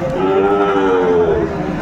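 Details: Sahiwal bull calves at the Aftabganj cattle market in Bangladesh, Saturday 20 April 2024; one steady, low, droning moo with a flat tone, held for nearly two seconds over faint market background noise.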